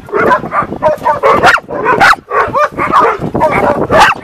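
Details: Excited dog greeting someone with dense, continuous yips, whimpers and short barks, pitch sliding up and down, bursts packed closely with little pause; faint speech may mix in.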